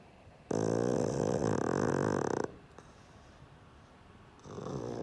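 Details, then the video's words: Pug named Sheldon asleep and snoring: one long, loud, rasping inhaled snore lasting about two seconds with a buzzy, rattling texture, followed by quieter breathing and the start of another snore. "Мопс Шелдон храпит"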